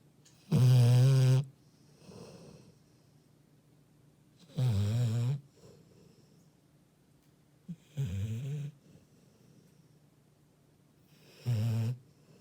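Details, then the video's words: Sleeping Labrador Retriever snoring indoors, deep rasping snores roughly every three to four seconds, four strong bursts with soft breaths heard in the gaps. "리트리버 코골이"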